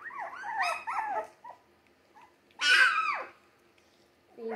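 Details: Young Jack Russell Terrier mix puppies, three weeks old, born 17 December 2020, give two wavering, bending howls, then a loud sliding cry after a quiet gap, with a low whine starting at the end.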